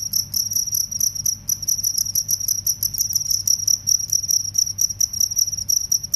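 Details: Shrill cricket chirping from a comparison of field crickets and forest crickets. High, metallic pulses repeat rapidly and almost continuously, with brief gaps. A low steady hum sits in the background.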